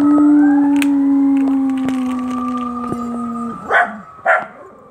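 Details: Two Scottish Terriers, one black and one white, howling along with sirens: long steady tonal howls held for over three seconds, slowly sliding in pitch, then two short yelping barks.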